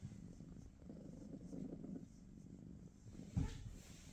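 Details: Brief, deep purr of British Shorthair kittens at home in the morning, a muffled rumble fading after two seconds before a single sharp knock.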